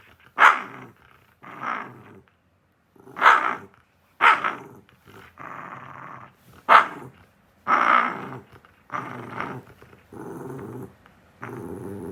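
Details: A lonely Shiba Inu squares off against its owner, alternating short sharp barks with longer low, rough growls. Barks come irregularly, roughly every one to two seconds, with growl stretches between them.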